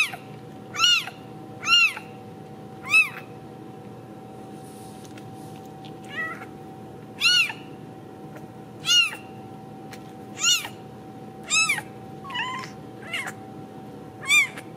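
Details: Ragdoll kittens raised indoors without cages at a cattery in central Kansas; thin high-pitched meows, each a brief rising-then-falling squeak, repeated about every second or two with short pauses, over a steady low hum.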